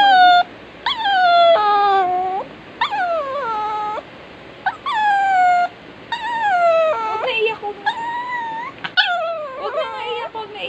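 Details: Crying dog whimpering in repeated tonal wails, each one sliding from high to lower pitch and lasting about a second, arriving in about seven bouts before ending in broken, choppy whines.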